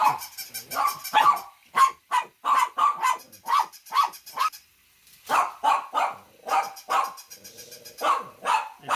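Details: Loud dog barking in rapid volleys, clusters of harsh barks following closely, with a short quiet break before the barking resumes just as fast.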